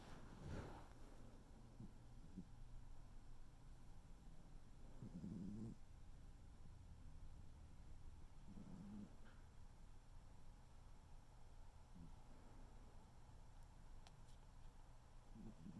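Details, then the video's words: Tuxedo cat named Noodle snoring while asleep indoors: soft, low rasping breaths that come in brief bursts roughly every four seconds over a faint steady background hum. "tuxedo cat snoring"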